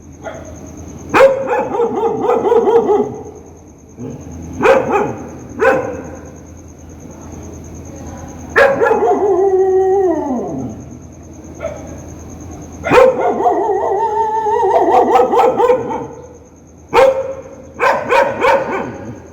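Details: Dog barking loudly and angrily, recorded outdoors: bursts of harsh barks in quick runs, some drawn into falling, whining howl-like calls, with pauses between bouts and a steady high electrical tone behind.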